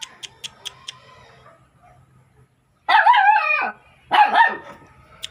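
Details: Two drawn-out, wavering barks from a dog, the first nearly a second long, follow a few quick clicking taps and a low hum.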